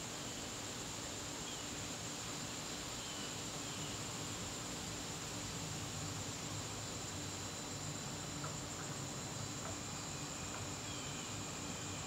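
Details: Crickets in a garden on a September evening: a steady, unbroken high-pitched trill holds throughout over a broad hiss of background noise.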